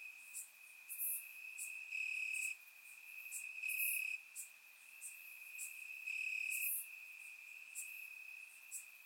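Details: Warm summer night in Bulgarian grassland with crickets chirping: a constant high-pitched trill pulsing between softer and louder passages every second or two, overlaid by scattered very high insect clicks.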